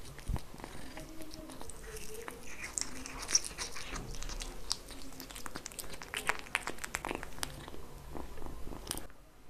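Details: Kitten eating, recorded close up indoors for ASMR, purring softly beneath a continuous stream of crisp chewing, biting and lapping clicks; the sound stops abruptly near the end.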